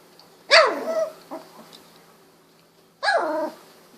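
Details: 16-day-old Golden Retriever pups, eyes recently open, barking as they move about; two sharp yelping barks, each with a bright onset falling quickly in pitch, spaced about two and a half seconds apart.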